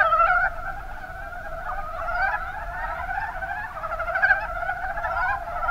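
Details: Chorus of Mountain brown frogs from the Kuma Basin in Kumamoto, Japan, with many overlapping soft, rattling clucks blending into a continuous chuckling murmur and a louder burst near the start.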